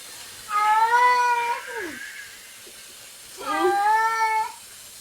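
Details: Pet cat making weird noises: two long, loud, harmonic meows about three seconds apart, each sliding slightly downward at the end, in a quiet indoor setting.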